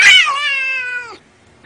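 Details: Domestic cat giving a single drawn-out meow, bright and harmonic-rich, starting high and sliding slightly downward over about a second before stopping abruptly; a brief noise follows.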